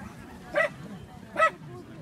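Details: Afghan Hound at the CAC Ustka dog show, 27 May 2018: two short, sharp barks about a second apart, each a bright clipped yap, over a low murmur of background hall noise.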